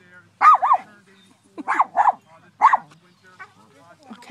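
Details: Little female dog barking at a very big, indifferent Clydesdale horse, trying to assert herself as the alpha animal; sharp, double-peaked barks in quick bursts, some paired, with short gaps and faint softer yelps between.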